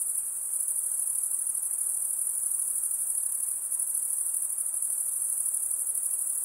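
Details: A constant thin, high insect chorus rings without pause, evenly pulsing and sustained at one pitch, with little else audible.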